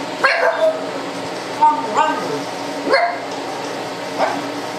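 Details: Male pug indoors barking after spotting a disliked next-door neighbour through door blinds while the neighbour stood talking in the yard. Four short, hoarse, gobbling barks come roughly every 1.3 seconds over the steady hum of a kitchen exhaust fan.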